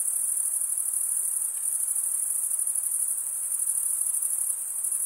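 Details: Crickets, males stridulating by rubbing one wing against the toothed vein of the other, produce a dense, continuous high-pitched trilling chorus with no clear breaks, steady in loudness throughout; no other sounds stand out.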